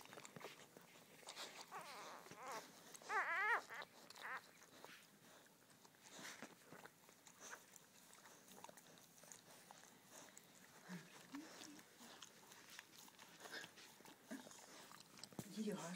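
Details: Newborn Border Collie puppy, a male named Blaze, taking his first breaths just after his mother gives birth indoors; a brief squeaky, wavering cry rises near three seconds, then faint low whimpers amid soft rustling and handling noise.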